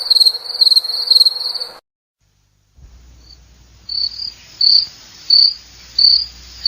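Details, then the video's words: A cricket gives a run of rapid high chirps, then a second of silence, then slower, well-spaced chirps returning about once every 0.7 seconds over a low rumble of background noise. "SOM DE GRILO - SOM DOS GRILOS"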